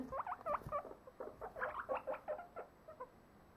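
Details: Domestic guinea pigs kept as pets, recorded on 23 December 2014, keep up a busy run of overlapping chirpy squeaks and chatter as their owner talks to them, with a soft hiss behind.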